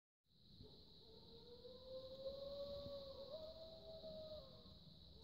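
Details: A distant wolf's long, smooth howl slowly rises and holds steady over a constant high insect-like hum, at night under a full moon in winter snowmobiling season, Chequamegon-Nicolet National Forest, Wisconsin, 2018.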